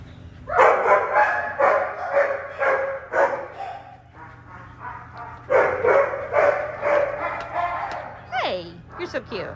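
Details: A Shiba Inu dog up for adoption yaps in rapid runs of shrill, strained yips, about two per second with brief pauses, ending in a few drawn-out falling whines, a person's voice mixed in.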